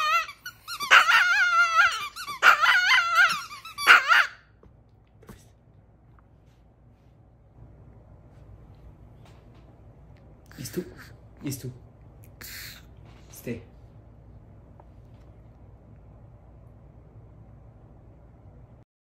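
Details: Chihuahua named Cedric howling emotionally after receiving squeaky toys in the mail, indoors in a small room: a run of wavering, high-pitched yelping howls over the first four seconds, then quiet with a few squeaks and rustles later.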